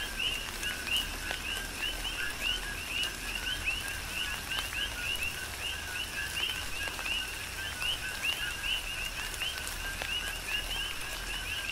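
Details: Many coqui frogs calling together in a tropical rain shower on the Big Island of Hawaii. Dense, steady overlapping chirps, each a quick two-note rising whistle, repeating without pause, layered over the soft patter and drips of falling rain.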